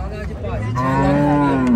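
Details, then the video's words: Cow at the Kharian cattle market in Pakistan before Eid, 7 October, giving a steady, long low moo that swells louder toward the end, with faint voices of the market crowd behind. "Beautiful Cows Kharian Mandi"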